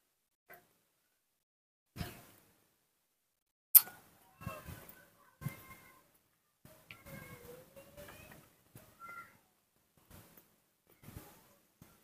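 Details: Baby monkey Nomi, a young hand-reared monkey, impatient and throwing a tantrum while drinking milk in the morning: short scattered squeaks and thin rising squeals between quiet gaps, with faint handling noises.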